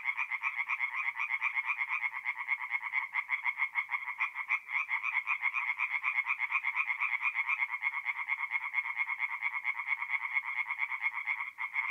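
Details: Tree frogs at a forest pond in north-east Italy at night, mid-April, keep up a thick chorus of quick, harsh croaking pulses, layered and continuous, with no other animals or noise.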